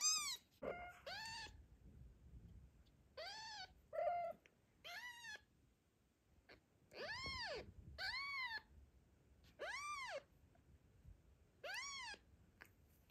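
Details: A postpartum mother cat, Zlata, protects her newborn kitten from the attention of Joanna and Ginger during an afternoon walk. Repeated clear meows, each rising then falling, are spaced by pauses and grow more regular toward the end.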